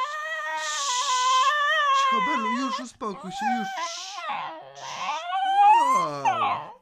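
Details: A Cocker Spaniel "sings" along with its owner, howling in long, wavering, high tones while a person's voice joins in.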